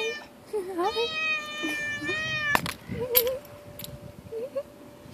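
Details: A big cat that jumped down to say hello gives one long, drawn-out meow lasting about a second and a half, steady and rich in overtones, with short wavering mews before and after, a sharp click, and a constant faint hum.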